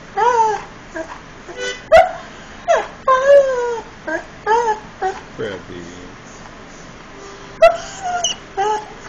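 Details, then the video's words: Irish Setter named Frebie singing: a series of short, whiny harmonic notes, some rising and some falling, broken by brief pauses and a few sharp clicks, in a quiet indoor setting. "Irish Setter Sings"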